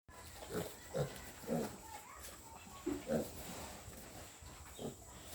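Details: Two-week-old farm piglets, described as healthy and strong, giving short low grunts in scattered bursts about every half second to second, with a steady faint background hum.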